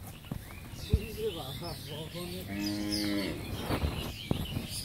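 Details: Pregnant Friesian cow, eight and a half months in calf and in her first calving, at a dairy farm in Pabna, Bangladesh, gives a steady, level moo lasting almost a second, preceded by short wavering voice-like sounds and background noise.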